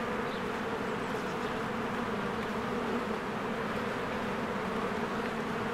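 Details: Spring beehive with honeybees coming and going: a continuous low humming drone of countless wings, level and unbroken, without music.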